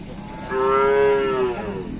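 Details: Cattle at kerapan sapi bull race training on the Asemanis track in Pamekasan. A single clear, sustained moo of about one second, steady in pitch with strong harmonics, against faint background noise.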